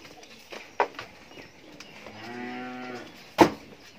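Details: Holstein Friesian cow, nine months pregnant with her second calf, on a farm in Bangladesh; a single steady harmonic moo lasting about a second, flanked by sharp knocks and clatter.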